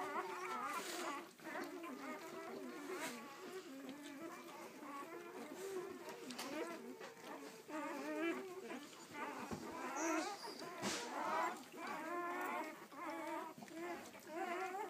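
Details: Nine newborn, striped, purebred Weimaraner puppies from a first litter, only a few hours old, squeal and whine together in thin, wavering, overlapping cries.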